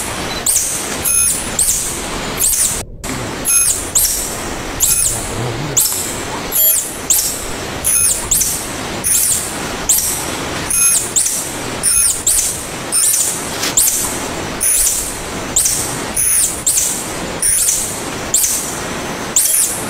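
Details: Tarsier (Tarsius sp.), known locally as tangkasi or "little monkeys", giving sharp high-pitched squeaks repeated about once a second across twenty seconds, each with a brief hissing burst behind it and a short gap of silence early on.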